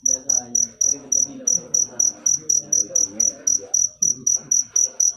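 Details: High cricket chirps repeated in a brisk, regular rhythm of about four per second, over a soft rumbling low background.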